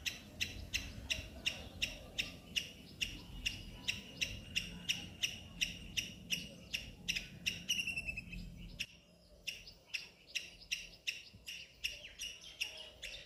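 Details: Repeated high chip squeaks from a squirrel in a neem tree, roughly three per second and very regular. A short pause and a quieter stretch follow before the chipping resumes against a hushed background.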